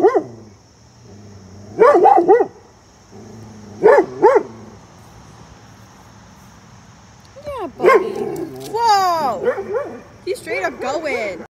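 A Vizsla gives loud, harmonic barks in short bursts, then a run of yelping, whining vocalizations.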